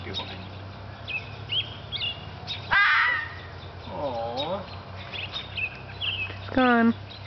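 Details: Young red fox vixen, about a year old, calling in spring from a front yard to a male Siberian Husky while seeking a mate: two loud, harsh, harmonic cries near three and six-and-a-half seconds, softer wavering calls between, faint human voices.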